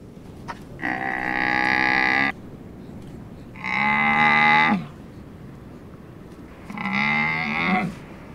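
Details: Domesticated dromedary camel giving three drawn-out, tonal bleating calls, each about a second and a half long, evenly separated by short pauses over a quiet background.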